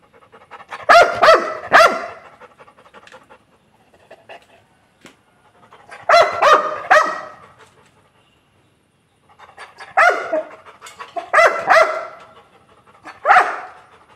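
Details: Angry Labrador Retriever giving clusters of three harsh barks spaced a few seconds apart, with softer panting and breathy noises between, ending on a single hoarse bark.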